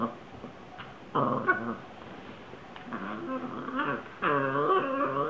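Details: Italian Greyhound at play with a ball indoors, giving a few short harmonic growl-whines in separate bursts, louder toward the end, with quiet room noise between.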